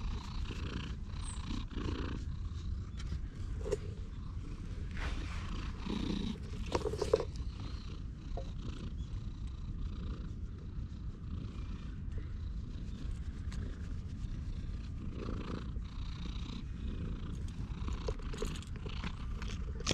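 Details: Stray cat sitting on a person's lap on a park bench and being stroked, filmed on a GoPro; a steady low rumbling purr runs throughout, with occasional rustling and handling noises on top.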